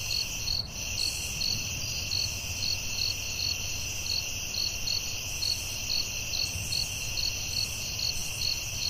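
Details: Steady cricket chirping in a forest at night, quick repeated high pulses about twice a second atop an unbroken shrill insect drone, one short click early on, low rumble beneath.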